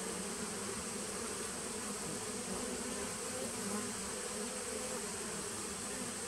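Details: Honey bee colony housed in a nuc started in 2017, recorded 19 September 2018, giving a thick, steady buzzing drone that holds level from start to finish over a faint high-pitched whine.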